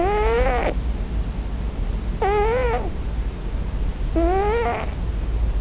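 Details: A sleeping male Scottish Fold cat, on his first night in a new home, gives soft, wavering mewing cries about every two seconds, thought to be crying for his mother in a dream.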